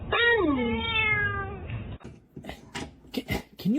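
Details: Cat giving a drawn-out harmonic meow lasting about a second and a half, its pitch sliding downward, then indoor human speech with short clicks and a brief rising cat-like sound at the end.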